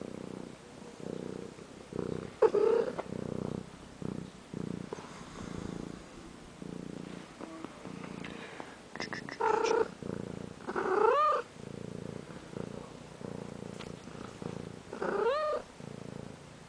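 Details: A pet cat purrs in a continuous rhythmic rumble, each breath making a pulsed burst, with a few short rising meows breaking in near the middle and end; quiet room, no other sounds.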